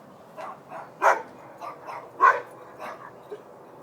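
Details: Neighbouring dogs barking next door on a Tuesday night, called noisy and unacceptable: a string of short, sharp barks at an irregular pace, about seven in four seconds, two of them much louder, over a quiet background.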